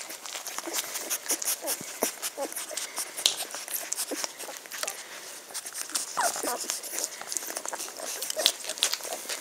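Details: A B-litter of Magyar Vizsla pups vom Elsterhaus, aged 10 days, on 23 May 2015: short curved squeals and high whimpers, clearest near the middle, amid constant crackling, scratching and bedding rustle.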